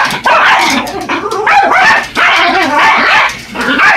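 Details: Attacking a radio-controlled truck, Yorkshire Terriers Buddy and Elmo produce loud, strained, growly yapping with whining pitch slides, three long bursts broken by short gaps.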